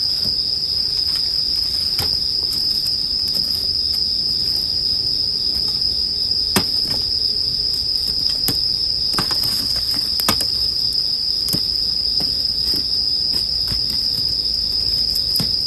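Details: Continuous shrill ringing of a bell cricket held at one high pitch throughout, with frequent sharp snaps and crackles from a campfire scattered across the whole stretch.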